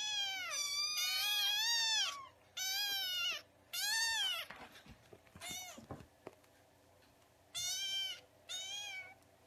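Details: Domestic kitten meowing while being fed milk, a kitten's first meows: loud, high, harmonic cries rising then falling, about six in under ten seconds, with soft clicking and feeding noises in a quiet pause midway.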